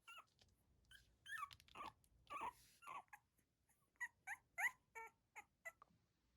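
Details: Newborn poodle puppies, black-and-tan and cream, give short high squeaky whimpers in separate bursts, about a dozen within six seconds, over a faint background hiss.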